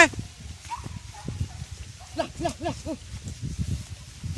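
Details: Village dogs on a traditional wild boar hunt with dogs and spears give a quick run of four or five arched, yelping barks midway, over low rumbling and people talking.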